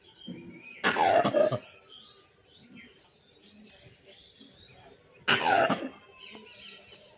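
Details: Langur in the wild uttering two rasping, cough-like barks about four seconds apart, each roughly half a second long, with soft bird chirps in the background.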